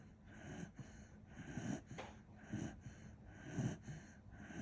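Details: Kishu dog named Kinchan, fast asleep, snoring: soft low snorting breaths roughly once a second, swelling and fading in an irregular rhythm, with a faint steady hum behind.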